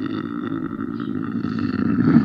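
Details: Lynx producing a short, throaty growl, low and grating, swelling slightly louder toward the end.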